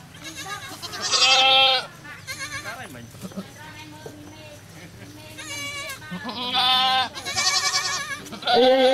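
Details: Goat at a cow farm during a birth, with a newborn kid: loud, quavering, harmonic bleats in bursts near the start and end, overlapping one another, with quieter bleating between.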